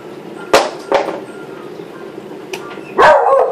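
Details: Beagle named Molly worked up over a brush: a run of sharp barks, two close together, a faint one, then a louder, longer final bark.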